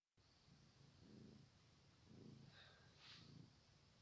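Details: Kittens purring softly: low, throaty rumbles swelling in three slow pulses about a second apart, over a steady faint background hiss.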